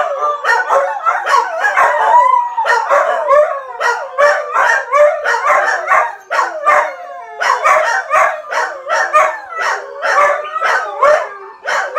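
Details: Howls from a dog answering videos meant to trigger howling: a dense run of warbling, sliding cries and sharp yips that swell and fade in waves throughout.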